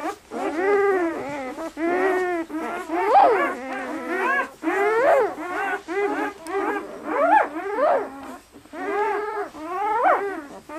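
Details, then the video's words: Lively newborn German Shepherd puppies, 48 hours old, red and black, bred in Maine, New England; steady series of arched, nasal squeals and whimpers, each about a second long, from several pups. "German Shepherd Puppies 48 hours old"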